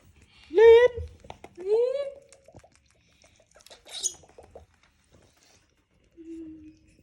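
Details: A baby monkey that wants to hug a boy gives two rising, tonal squeals, each sliding up and then leveling off.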